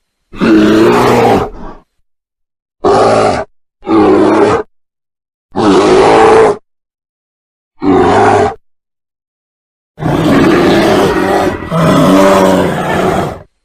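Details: Bear making seven throaty, rasping growls of uneven length, mostly short bursts about a second apart, ending with a drawn-out double growl. Background is silent between the calls.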